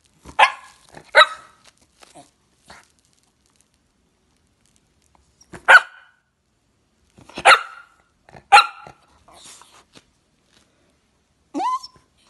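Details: Jack Russell Terrier barking in short bursts: a quick double bark, then single and paired sharp barks spaced about one to two seconds apart, ending with a short rising whine.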